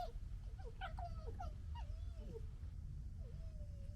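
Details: Red foxes of a local family interacting, with gekkering, fighting and general disagreement; wavering, whiny tonal yelps that slide up and down, several in quick succession then a longer drawn-out wail, over low rumbling background noise.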